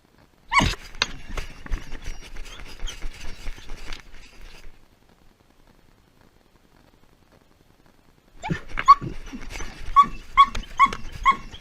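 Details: Pet dog left alone as its owner leaves: loud broadband bark at the start, then scattered yips and rustling, a long silence, and a burst of repeated high yelping barks near the end.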